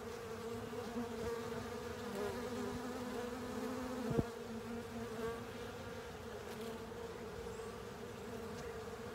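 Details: Honey bees and fellow insects cleaning up a honey filter, heavy steady buzzing hum, single bees flying close now and then, and a sharp knock or tap around the middle.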